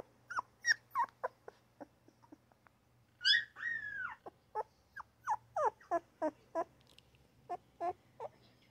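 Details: Newborn puppy crying and yipping in quick, uneven bursts, short high squeals sliding downward, one longer wavering cry in the middle, with a faint steady low hum beneath.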